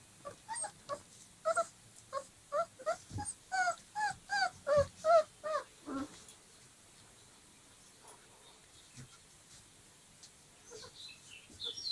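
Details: Playing 25-day-old Dogo Argentino puppies give a steady series of thin, rising-and-falling whines for about six seconds, then fall mostly quiet, leaving only soft scattered squeaks and shuffling.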